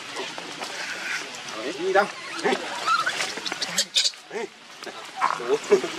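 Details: Baby monkey named Leo, hungry and crying to beg its mother for milk; short wavering squeals and whimpers repeated through the clip, with human voices talking in the background.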